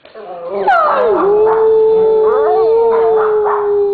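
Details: Siberian Huskies, three kept together, prompted to howl on cue: a loud sustained howl sliding down then holding steady for about three seconds, with overlapping wavering voices and a person's brief encouragement.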